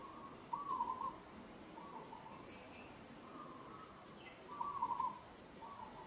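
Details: Monkey Moka, a female in Kampong Cham Province, Cambodia, calls out while struggling under rough handling by monkey Sada. A few faint, wavering tonal cries come in short bursts over a quiet background.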